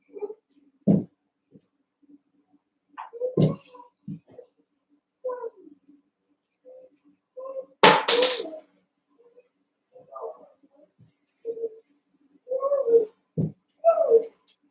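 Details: Eight Cavalier King Charles Spaniel puppies, one month old, wrestling and playing together in a pen. Scattered squeaky yips and whines alternate with low growly grunts, with one loud harsh yelp burst midway and irregular gaps between calls.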